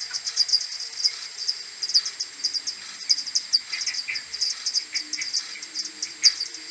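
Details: Morning return of a common pipistrelle maternity colony to its roost, 21 May, slowed x10, AudioMoth recording: overlapping fast series of sharp high clicks from several bats, a few softer lower chirps, otherwise quiet background.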